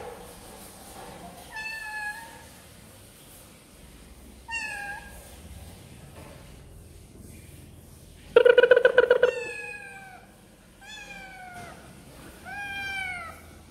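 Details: Kittens eating snacks give high, thin meows with falling harmonic arcs, repeated in bursts of several calls, plus one louder rapid pulsing meow near the middle; quiet room background.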